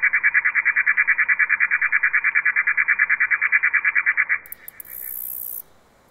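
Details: Katydid, also called bush cricket or long-horned green grasshopper, stridulating; some sequences slowed down. Rhythmic, evenly pulsed chirping, about three pulses a second for four seconds, then a brief high hiss before near silence.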